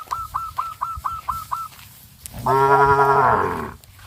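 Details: Cattle on a traditional village farm, running in fear into the forest: a short, low, harmonic-rich moo rising then falling, preceded by a rapid series of repeated high chirping bird notes.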